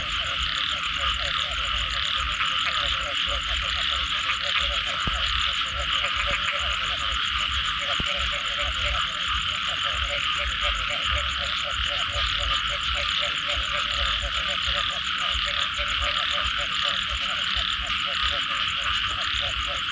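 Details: A frog chorus after rain: fast, regular pulsed croaks repeating about four to five times a second, steady throughout, under a dense high insect buzz with occasional faint clicks.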